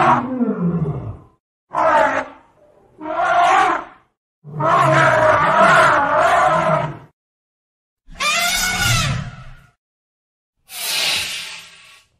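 An elephant calls in separate bursts a second or two apart, some deep, grinding and roar-like, others rising into bright, brassy trumpeting. Each blast swells and fades with brief silences between.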